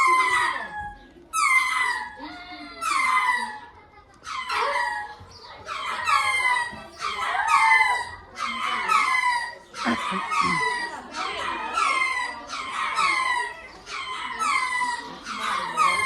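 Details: A group of lemurs in a long bout of calling: harmonic, descending wails that start spaced and then crowd and overlap into a dense chorus, roughly one every second.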